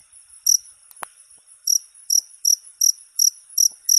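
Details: Cricket chirping used as a training model for songbirds: short high, bright double-band pulses in irregular bursts, with one sharp click early on.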